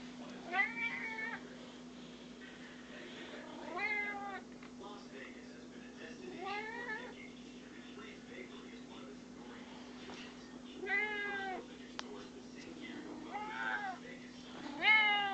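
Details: Pet cat asking for attention with a series of rising and falling meows, spaced unevenly and quieter than the background hum. Soft music and a person's voice can be heard.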